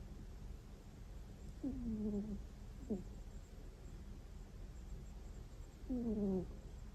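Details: Sleeping pet cat snoring with gentle 'kuu… kuu' notes. Two drawn-out falling whines frame a brief clipped squeak in the middle, all against quiet indoor background noise.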